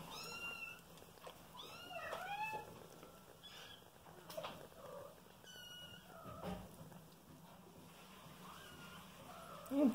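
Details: Young female cat lying in a nest with kittens she cares for, giving several short high meows with falling tails, plus faint mewing from the kittens, a steady background hum and a woman speaking Russian.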